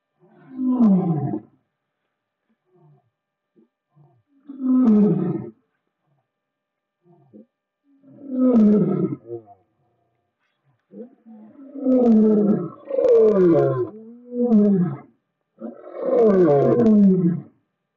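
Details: Lions roaring: a series of deep, harsh roars, first spaced about every four seconds, then coming faster in a run of closely packed bursts toward the end.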